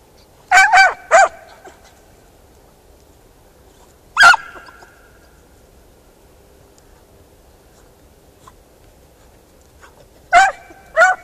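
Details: Beagle Harrier hound in a ploughed field giving short, sharp barks: a quick cluster of three near the start, a single bark midway, then two more at the end, separated by long quiet gaps.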